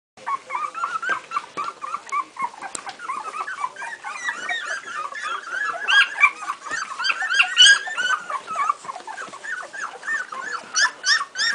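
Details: Strongbow puppies at two weeks old, several together indoors, giving a dense run of high whimpers and squeaks, rising and falling in pitch, overlapping almost continuously with brief louder yelps.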